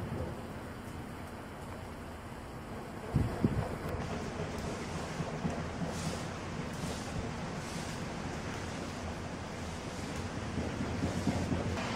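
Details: Steady rushing wind and surf-like roar fill the recording, with a sharp bump near three seconds and no clear animal voice.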